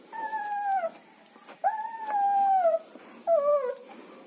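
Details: Whining from German Shepherd puppies in Chennai: three drawn-out tonal whines, the middle one held over a second, each sliding gently downward at the end, with quiet gaps between.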